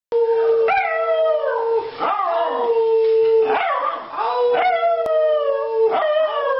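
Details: A Schnauzer "sings", howling in long, wavering tones that rise sharply, hold, then slide down, followed by applause.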